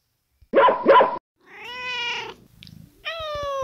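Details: Domestic cat meows compiled for a children's library brain game counting meows: a short paired sound near the start, then a long harmonic meow, a brief chirp and another drawn-out meow, recorded indoors.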